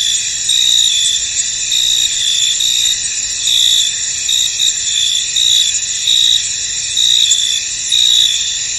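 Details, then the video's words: Crickets in a foggy field keep up a continuous shrill chirping chorus, with brighter bursts roughly every two seconds over the unbroken high-pitched hum. "Tranquil Cricket Sounds In An Misty Field"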